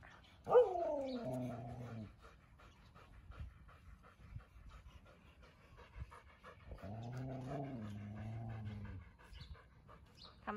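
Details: Siberian Huskies of the Candy household walking around home in the cool winter air of Ubon, Thailand; two drawn-out, moaning howl-like calls, each about two seconds, the first sliding downward then levelling off, spaced several seconds apart, with soft panting and footsteps between.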